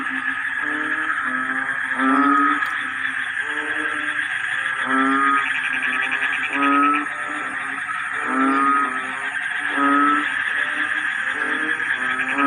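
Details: Chorus of frogs in a rice paddy when the rains arrive, sounding like a choir: loud, ratcheting pulsed croaks rise in bursts about every one and a half to two seconds above a continuous humming background chorus.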